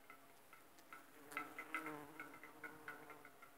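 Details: Nectar-gathering bumblebees on aconite blossoms give a brief deep buzzing drone, briefly louder midway, over a run of quick high ticking clicks.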